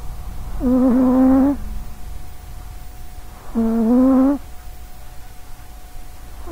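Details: Sausagecat, a small-legged female cat in great health, snoring loudly while asleep near a microphone: two long, nasal, buzzing breaths about three seconds apart and the start of a third, with a soft background hum.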